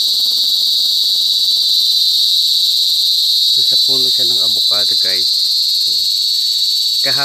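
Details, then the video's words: Cicada (kuliglig, duli duli in Bicol) singing in the countryside province, a continuous piercing high buzz that never pauses, while people's voices talk and laugh underneath during the second half. "CICADA SINGING| KULIGLIG | DULI DULI IN BICOL"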